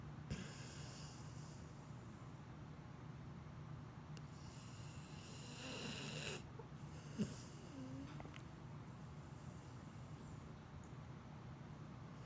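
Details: Sleeping pit bull snoring, with long breathy, hissing snores near the start and again around the middle, separated by quieter breathing over a steady low hum.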